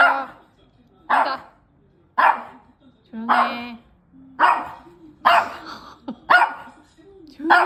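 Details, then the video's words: Feisty puppy about to head out for a walk barks repeatedly, roughly once a second in a steady run, over a person's voice telling it to sit and wait. "극성맞은 강아지랑 산책가요"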